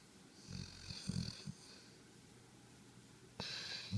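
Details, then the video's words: Harper, a dog, snoring in his sleep with his tongue out, recorded 11.5.2013; a burst of low rumbling snorts, then a quiet pause before a louder raspy breath at the end. "Harper snore"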